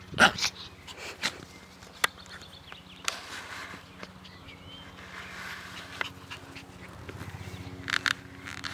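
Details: Naja, a dog, playing happily in a garden on 17 May 2014 in fine weather, gives a low, rough, pulsing growl that rumbles steadily throughout, broken by short sharp clicks and brief higher yelps near the start and end.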